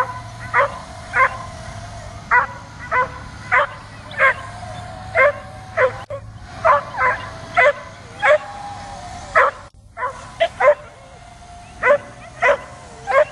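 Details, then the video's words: Dog barking nonstop at a drone overhead, trying to jump up and catch it: around twenty sharp, ringing barks at an uneven pace, with a steady mechanical whine underneath and two brief dropouts. "DOG BARKING AND JUMPING AT DRONE"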